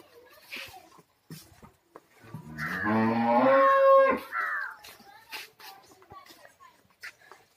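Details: Kangayam heifer, reddish-brown and at the two-tooth stage, lets out a long, deep, rising-then-steady moo of nearly two seconds in mid-clip, with people talking and knocking sounds before and after.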